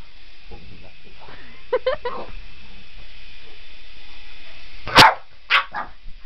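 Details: Boston Terrier chasing a remote control helicopter; a few short barks near the end, with softer whines and yips earlier over a steady mechanical hum from the helicopter.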